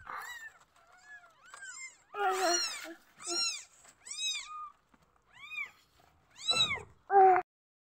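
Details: Newborn kittens mewing when feeling unsettled, a short series of high arched squeaky calls spaced about a second apart, ending with a louder harsh cry.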